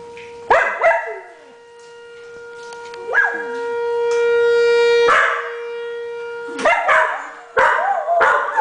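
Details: Two dogs, a Blue Heeler and a rescue dog, howling at a tornado siren: short yelping howls and wavering rising howls break in over the siren's long, steady, sustained tone.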